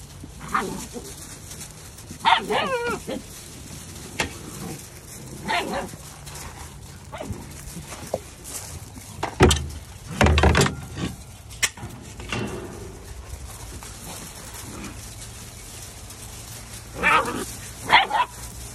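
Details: Several Labradoodle puppies give scattered high whimpers and short yips, some rising and wavering, in irregular bursts with quieter pauses between.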